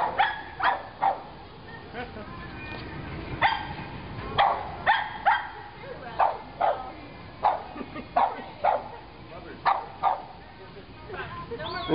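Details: Pug barking at a pig piñata it is afraid of, indoors; short sharp barks and yips repeated roughly every second, in uneven bursts, with people talking and laughing in the background.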